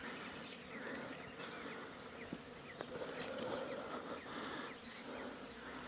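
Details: Wild honey bees swarming from a hive being cut from a mountain bush in rural Iran: a dense, steady droning buzz of many insects, continuous throughout, with faint higher chirps and soft rustling in the background.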